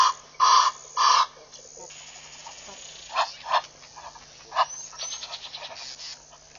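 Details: Morning baboons at Pete's Pond waterhole, Mashatu Game Reserve, Botswana, 7 November 2013. Two loud, harsh barks open the clip in quick succession. Softer, shorter calls and faint chatter follow.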